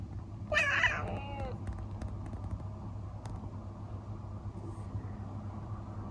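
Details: Elsa, a traditional Siamese (Thai) cat kept indoors in the Netherlands, chatters at a bird behind the window: one quick burst of stacked, stuttering notes lasting about a second. A steady low electrical hum follows.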